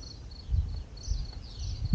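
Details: Spanish crickets at the Playas de Luz camper park in April 2022 give a steady series of brief, high-pitched chirps. Soft low thumps of wind or handling noise sit beneath them.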